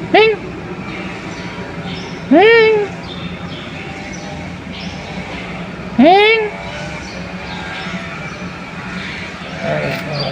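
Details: Three loud rising-then-falling meows from a pet cat described as sick, spaced a few seconds apart, with a constant low hum and distant background noise between calls.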